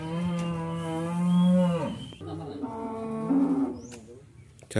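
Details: Two qurban cows from a farmer's shed, loaded for delivery to Jakarta, moo in long harmonic calls: a sustained bellow of nearly two seconds, then a second, softer drawn-out moo, with faint background noise.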